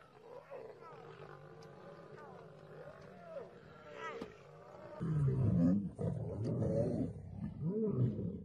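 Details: Female lions attacking a male lion while competing for a mate; low, rough growls and snarls build in the second half over a steady rumble, with fainter higher tonal sounds early on.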